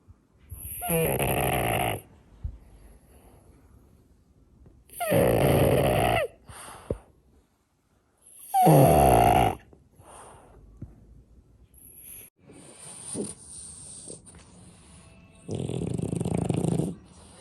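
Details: Loud snoring from a sleeping French Bulldog, heavy rasping breaths repeated about every three to four seconds with quieter breathing between them; indoors, with a person speaking briefly near the end.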